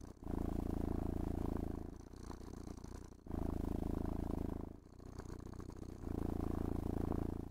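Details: Contented house cat purrs as it is groomed with a brush and petted; a deep, continuous vibrating rumble that swells and fades in breaths roughly every two seconds, with light scratching noise over the top.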